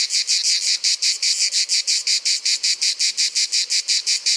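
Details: Summer song of the Provençal grey cicada. Loud, high, gritty buzzes pulse in a quick, even beat of roughly five per second, with clean gaps between bursts and no other clear sounds.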